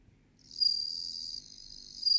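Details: Meloimorpha japonica (bell cricket) singing: a high, thin, ringing trill that starts after a brief quiet moment, holds steady, dips softer, then swells again near the end.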